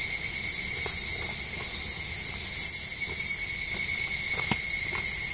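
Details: Cicada chorus along Japan's Tokai Shizen Hodo trail below the Yoro Mountains. A sustained, high, ringing drone with layered steady tones holds throughout, with soft scattered clicks and taps, probably footsteps, underneath.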